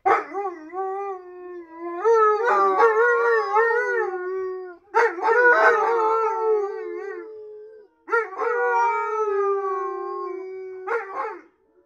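An Alaskan Malamute howls in long, wavering, tuneful notes, three drawn-out howls in a row.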